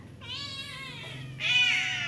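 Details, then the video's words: Tiny abandoned disabled female kitten, still of nursing age, rescued after crying in front of an apartment and then cleaned and fed kitten milk; two high, drawn-out mews, the second louder and brighter, in a quiet indoor room. "ABANDONED DISABLED CRYING KITTEN"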